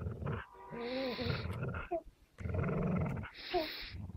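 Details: An American Staffordshire Terrier and a Beagle hold a stubborn standoff over possession of a fabric toy. Rumbling growls with whiny overtones come in two long bouts split by a short lull.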